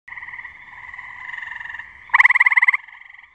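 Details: Male gray tree frog calling from a branch over a pond: softer pulsed musical trills, then a loud rapid trill of about a dozen pulses lasting under a second, with quiet trilling continuing after.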